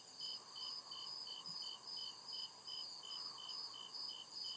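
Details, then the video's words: Night chorus of crickets deep in the woods, short bright chirps repeating at an even pace of about two or three per second atop a steady high-pitched ringing trill. "CRICKET CHIRPING SOUND"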